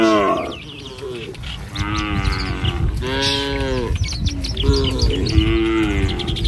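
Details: A herd of tame village cattle strolls along a country road in the morning toward pasture. Three drawn-out moos, each rising then falling, are separated by short gaps, with light bird chirps and a low rumble.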